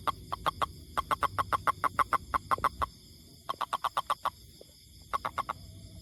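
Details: Toad producing long runs of rapid, evenly paced clicking notes, roughly five per second, broken by brief pauses before starting again, with a faint steady high-pitched background hum.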